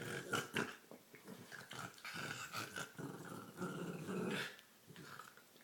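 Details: Female dog growls, snorts and gurgles while playing with her green toy; continuous rough, throaty rumbling with breathy snorts and bursts of louder grumbling throughout.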